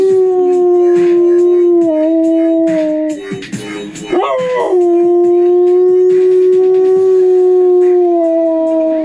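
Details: Kush, a pet dog, howling along to a favourite techno song, Pro Nails (Rusko Remix) by Kid Sister; long sustained tonal howls holding steady pitch, with a brief wavering break midway, over loud electronic music.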